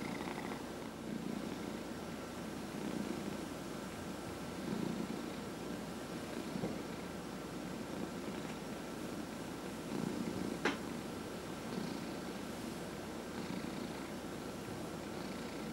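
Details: Male domestic cat, 14 and a half years old, purring steadily while receiving a head massage indoors; low, continuous rumbling pulse held throughout, with one brief sharp click near the end and a faint steady hum in the background.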